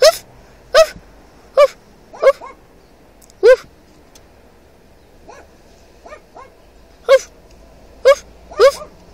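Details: A dog in another car barks back at a man imitating it, sharp harmonic-rich barks spaced a second or two apart, some doubled, with quieter softer yelps in between and a low engine hum underneath.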